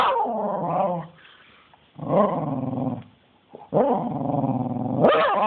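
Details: Spencer, a dog worked up into a crazy spell, makes long, tonal growling howls that rise and fall, in three or four sustained bouts separated by brief near-silent pauses.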